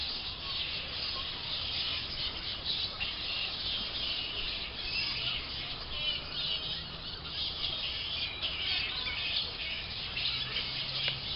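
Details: Flying foxes roosting in trees on a late afternoon at the Emerald Botanic Gardens, growing active and moving between trees away from onlookers; a dense, continuous wash of high squabbling screeches and chatter from many animals, with a faint low rumble beneath.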